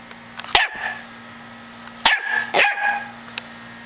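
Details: Runt-of-the-litter chocolate Labrador puppy yelps three times, the barks high and clipped, with a constant mechanical hum underneath.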